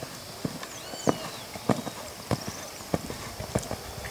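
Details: Brown purebred Lusitano stallion's hooves striking the ground in a steady beat, roughly every two-thirds of a second, sharp knocking thuds; faint chirping birds and a voice in the background.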